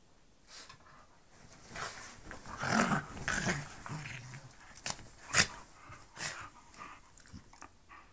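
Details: A bull terrier playing with another dog indoors, with scattered growls, snorts and panting sounds rising and falling over several seconds, plus scuffling and a few sharp bumps.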